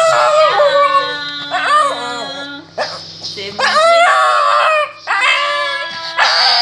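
A Shih Tzu howls in long, wavering, tuneful notes that rise and fall like singing.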